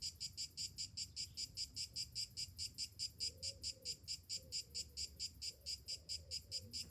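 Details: Cicadas singing in summer morning heat, a sharp buzzy rattle broken into distinct bursts a little over twice a second; gentle dove coos drift in behind.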